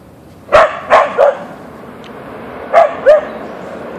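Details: Backyard encounter with a deer sets off Boeing the Siberian Husky (Ausky): a quick run of three clipped barks, a pause, then two more, each bark short and yelping.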